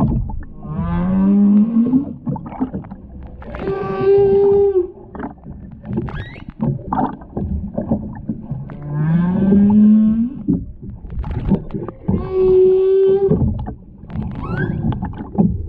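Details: Underwater humpback whale song near the Ogasawara Islands, 23 February 2021, during whale watching around a mother, calf and escort. Rising low moans alternate with higher sustained harmonic tones, the pair repeating roughly every eight seconds.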